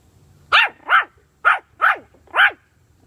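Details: A puppy given bully sticks lets out five high, clipped barks in quick succession, roughly two or three per second, each bright and sharp with a little downward bend, over a faint low background hum.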